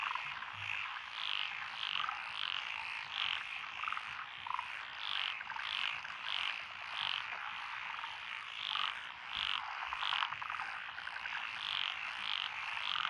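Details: Rice-paddy frog chorus recorded June 12, 2021 in Echizen, Fukui Prefecture, Japan, among lotus fields; short bright croaks repeat roughly every second or two over a constant rattling background of many callers.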